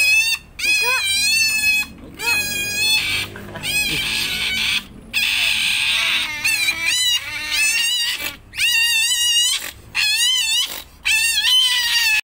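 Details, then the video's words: Pet otter seen up close, its voice described as cute and very shrill; loud, high, shrill squealing calls in repeated bursts with wavering harmonic tones, broken by short pauses about every one to two seconds. "suara berang berang"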